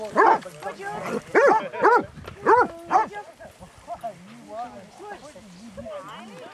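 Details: A walk of 22 Basset Hounds around Belwade Farm near Aboyne, Scotland, October 2016. Five quick, arching barks in the first three seconds, then quieter voices and chatter from people nearby.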